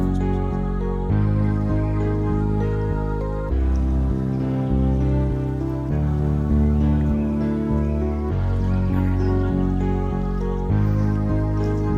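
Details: Soft, slow instrumental music with sustained low tones and gentle chords, and no animal sounds.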